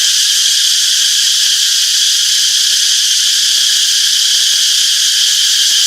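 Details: Steady wall of cicada chirping in a summer forest, bright and high, many insects blending into one even, ringing buzz.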